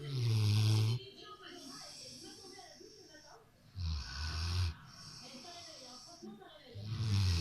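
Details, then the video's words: Sofa-bound Rottweiler asleep and snoring: a deep grumbling snore opens, another comes midway, and a third begins at the end, with soft breathing sounds between them. "Rottweiler qui ronfle"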